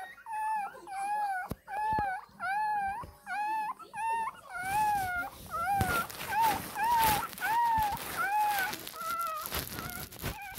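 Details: Twenty-day-old Shih Tzu puppy Ppukku whining to demand milk, a run of arched, squealing cries in steady succession, with rustling and handling noise joining partway through.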